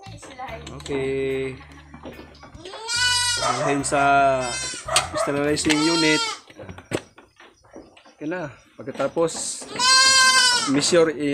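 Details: At milking time on a goat farm, Anglo-Nubian goats give loud, quavering harmonic bleats in bursts, the strongest near the start and again late, alternating with Spanish talk and a low mechanical drone.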